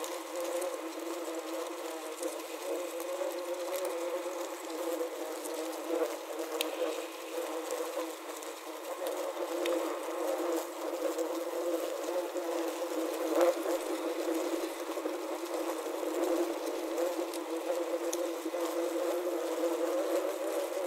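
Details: Wasps trapped inside a wasp trap, recorded with a Zoom H6 and Korg CM-300: a continuous low, wavering buzz with layered humming tones that swell and fade, with faint scattered ticks and taps.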